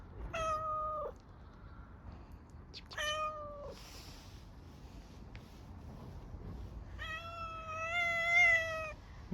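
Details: Hungry stray cat on an Istanbul street asking for food with an unusual voice: three long, clear, slightly falling meows, the last held for nearly two seconds, while a woman calls to it softly.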